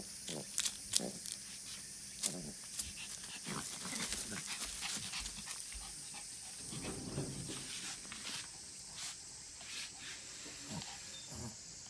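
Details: Black Pomeranian kept as a pet dog: soft, short, scattered sounds with brief sharper clicks and snuffles, some louder bursts near the start, over a steady high-pitched background hiss.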